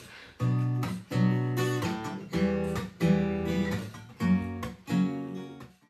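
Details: Strummed acoustic guitar chords ringing out in about seven strokes with short gaps between them, and nothing else heard.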